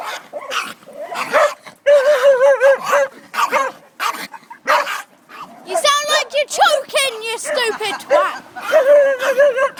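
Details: Benny the dog sounds off at a chihuahua with wavering, howl-like whines and yips whose pitch wobbles up and down, mixed with short barks, while a person talks over the noise.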